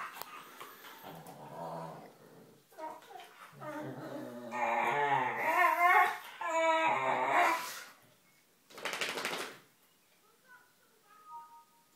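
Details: Staffordshire bull terriers wrestling and play fighting, making funny noises: bursts of harmonic grunting, whining and growling that build to a loud, strained stretch in the middle, then a short sharp outburst and a few faint whines near the end.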